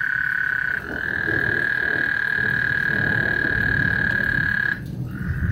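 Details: Before a thunderstorm on Lake Houston, frogs give a sustained, level trill that runs unbroken for about four seconds before a short pause, with a dense low rumble beneath.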